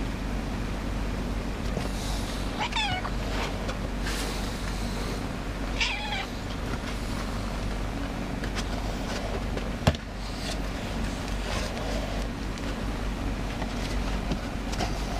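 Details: A new, shy pet cat comes out meowing for cuddles. Two drawn-out meows, each with a rising then falling tone, arrive a few seconds apart over a steady low engine-like rumble, with a sharp click later.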